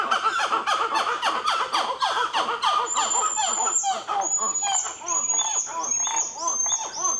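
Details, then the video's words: Black-fronted titi monkeys calling near Nazare Paulista, Brazil, with a baby present: a loud, rapid series of arched, pulsing hoots repeating several times a second, the chorus rising and overlapping, with a thin high whistle from about three seconds on. "Black-Fronted Titi Monkeys!!! Give That Baby Some Earplugs!"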